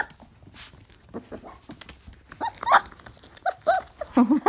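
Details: Briard puppies 4.5 weeks old give a burst of short, high whines and yelps in the second half, several overlapping with rising and falling pitch, after a quieter opening of soft shuffling.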